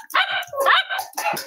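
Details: Cavalier King Charles Spaniel puppies on a snowy Saturday morning give a short burst of high, harmonic yips in three quick pulses, with a person's voice faintly mixed in.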